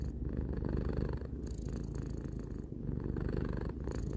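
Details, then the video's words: Tarou, a three-year-old pet cat, purring steadily indoors: a dense, low rumbling throb with faint breath shifts around 1.3 and 2.7 seconds, no other sounds. "Cat purring"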